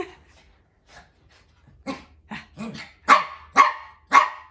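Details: Pomeranian dog, a young male named Hendo, having morning zoomies indoors with a maltipoo companion; after a faint start, six sharp high barks come in a quickening run, the last three loud and evenly spaced about half a second apart.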